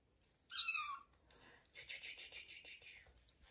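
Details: Kitten Johnny in a bathroom during its first bath gives one short, high, thin cry with bright overtones, followed by splashing and running water.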